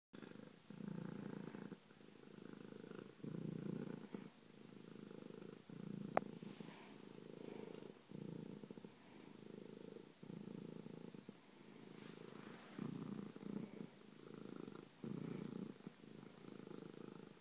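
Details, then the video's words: Domestic cat named Bronco purring loudly, a low rumbling drone in long stretches broken by brief pauses as it breathes in and out, with one sharp click partway through. "Bronco Kitty loves to Purr and man is he loud!"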